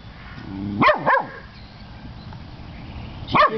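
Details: Pet dog barking at a person who is holding her chew: a faint low whine, then a quick double bark, a long quiet gap, and one more sharp bark.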